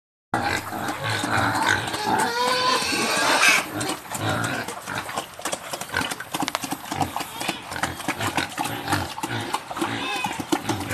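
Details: Farm-raised wild boar hybrid pigs in Dong Nai, Vietnam, feed in their pen: rough grunts, snorts and sharp squeals overlap without a steady rhythm over chomping and clattering.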